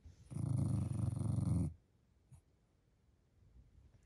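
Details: Jack Russell Terrier dog indoors growling while guarding his stuffed toy monkey; a low, rumbling, pulsed growl lasting about 1.5 seconds, then quiet with faint small noises.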